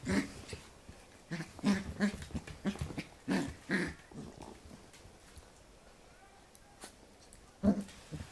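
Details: Corgi puppy, a Pembroke Welsh Corgi, tussling playfully with a hand; bursts of short growly yips in the first four seconds, then a quiet stretch with a faint click and one final yap.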